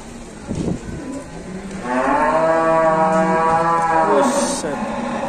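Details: Very large cattle at an Indonesian cattle contest, one long, loud, rich moo of about two and a half seconds that swells and then fades, after a brief soft grunt, with faint background chatter.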